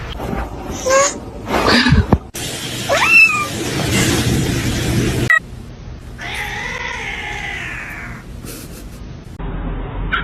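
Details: Cat meowing in a short edited sequence: a quick rising meow, then a long drawn-out wavering meow lasting about two seconds, with abrupt cuts, clatter and background music between calls.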